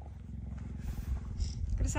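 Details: Captive female cheetah near her enclosure in melting snow, giving a deep, steady rumbling purr with rapid regular pulses throughout, while a person talks softly nearby.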